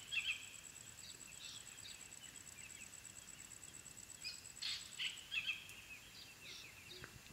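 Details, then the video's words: Puppies of the African wild dog calling at their den: scattered high chirps early, then a cluster of sharp twittering notes in the middle, all against a constant shrill insect drone. "The sounds of African wild dog puppies at their den"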